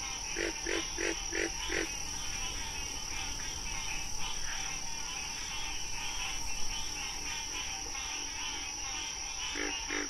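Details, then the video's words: Wild frog calling with a quick series of five low, clipped croaks at the start and one more near the end, backed by a trilling high-pitched chorus and a steady drone. "Frog Sounds"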